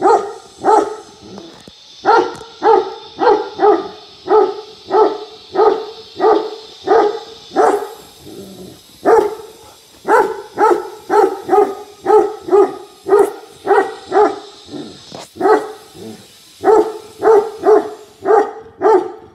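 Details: Tibetan Mastiff in India giving long runs of deep, booming barks in quick bursts with short pauses between series, faint hiss in the background.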